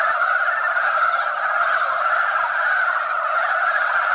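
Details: A brief stretch of the mountain frog spawning scramble, males contesting females. Overlapping croaks form a dense, constant mid-range chorus without gaps.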